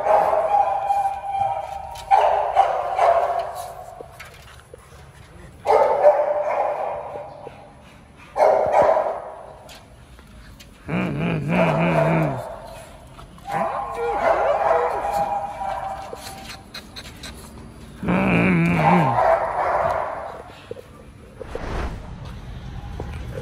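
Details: Pet dogs Oli and Nomy, just home from a dog hotel before a raw meal, give excited whines and yips in bursts every few seconds. Some are rising-and-falling wavering cries, others short broadband outbursts, with a woman's soothing voice in between.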